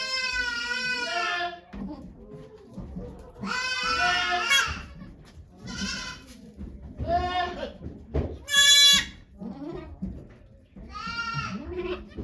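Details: Goat named Okayu giving birth to two kids on 3 May 2023 at Yoshigake farm in Japan, with volunteers watching. Loud, wavering harmonic bleats come in repeated bursts, some long and some short, with low murmured voices of people between them.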